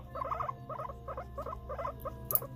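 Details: Pet guinea pig housed alongside another it cannot share with, making rapid clusters of soft, stuttering, bubbling notes in quick groups, over a low steady hum.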